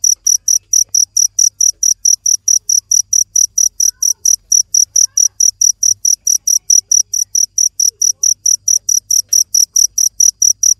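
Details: Steady shrill chirping from a cricket over about eleven seconds, dozens of short bright pulses evenly repeated near four a second, faint low rumble in the background.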